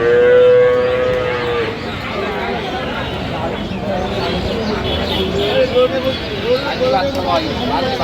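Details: Cow with calf at the Aftabganj cattle market, Dinajpur, Bangladesh, 21 January 2026; a long, steady moo opens, followed by fainter lowing amid loud crowd chatter and bargaining voices.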